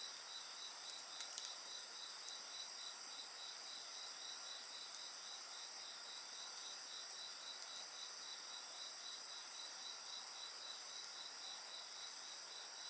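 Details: Insects singing together over a bonfire, a fast, evenly pulsed high chirping running without pause above sustained shrill tones, with a few soft snaps of crackling firewood.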